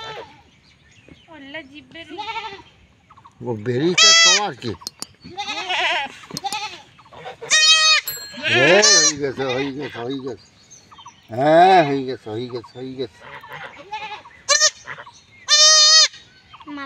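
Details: Young goats in a village in Bangladesh being castrated; loud, wavering, strained bleats repeat in bursts of about a second, some rising and falling, with men talking and shouting between them.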